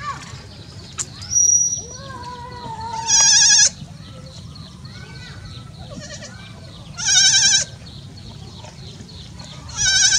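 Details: Goat bleating after giving birth to many kids: loud, harsh, harmonic bleats about every four seconds, near three, seven and ten seconds, with softer lower calls between them over a low background hum.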